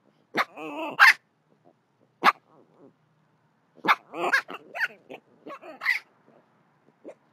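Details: Young javelinas that seem distressed, filmed by a neighbor in August 2022: wavering, harmonic squeals and whining cries in quick clusters, with a loud rasping burst near the start and sharp yelps later.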